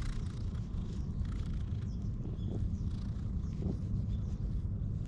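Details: Wary stray cat purring as it is befriended and brushed, captured on a GoPro HERO8; a dense, even low rumble fills the clip with scattered soft scraping of the brush above it.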